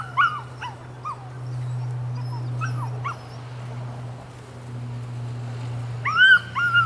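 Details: Rodin/Katana female puppy, nine weeks old, gives a few short high yips and whimpers at the start and again near the end, with quiet gaps between, over a steady low electrical hum.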